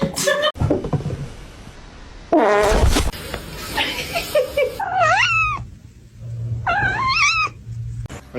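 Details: Domestic cat giving two rising-then-falling meows in the second half, each under a second long, after a stretch of people talking and loud laughter with thumps and a low hum.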